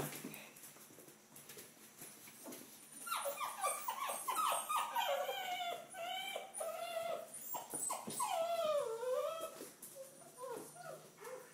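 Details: Five-week-old red rust Doberman puppies at deworming time whimper and whine together, a dense run of high, sliding, wavering cries building after three seconds, with some bending downward, over soft background shuffling.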